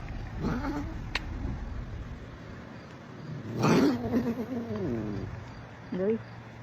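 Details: Domestic cat in a funny compilation making low, wavering, drawn-out yowls, one long wobbling cry of about a second and a half and a short rising one after it, with brief faint cries earlier and room hum.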